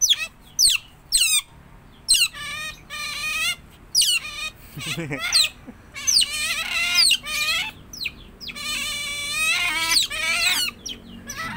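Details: Tame household otter giving a long series of shrill squeals and downward-sweeping chirps in rapid bursts, with a brief low human vocal sound partway through.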